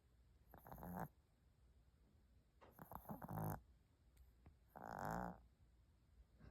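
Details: Sleeping pet dog snoring: three rough, breathy bursts about two seconds apart, each around half a second long, with low buzzy rumble and a louder final breath, in a quiet indoor setting.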